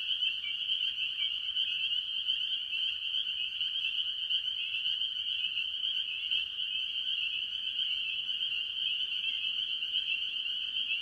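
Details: Spring peepers, with various other tree frogs, calling at a farm pond early in the year; many shrill peeps fuse into a sustained high chorus, steady throughout, with occasional lower notes underneath.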